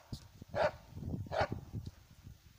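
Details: Dog barking while working a squirrel sitting up in a birch tree: two sharp barks about a second apart, with a man speaking quietly in Russian around them.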